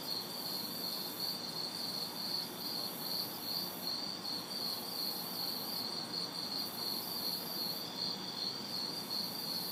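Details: Summer night chorus of crickets and cicadas recorded in a backyard in the city, hot and humid: rapid, evenly pulsed shrill chirps over a continuous high buzzing that pauses now and then, distant traffic murmuring low.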